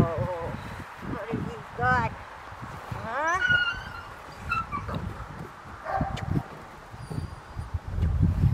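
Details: Rottweiler puppy Kaiser Bronx v Schwarzerwald, born June 5, 2021, recorded August 22, 2021 while being introduced to a toy during early shaping training. Several high, wavering whimpers rise and fall between a person's low voice and handling noises.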